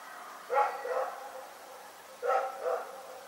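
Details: Two doubled barks from Rex the dog during the night at Pyrga, separated by nearly two seconds, rough and resonant with slight echo against steady background hiss.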